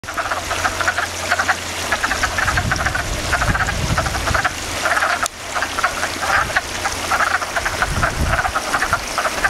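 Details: Frogs in a backyard pond, a dense chorus of rapid rattling croaks pulsing in bursts about every second, with a low steady hum underneath.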